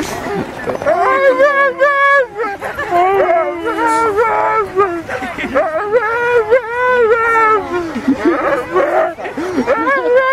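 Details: Siberian husky "singing" at home: long wavering howls with sliding, bending pitch, rising and falling in drawn-out phrases almost continuously for ten seconds, with brief gaps between vocal runs.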